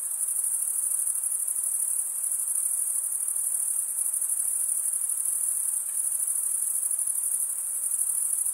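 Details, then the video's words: Continuous cricket stridulation: a dense, very high, rapidly pulsing trill from males running one wing across the comb-like teeth of the other, constant in loudness over the whole stretch. "Most relaxing cricket sound"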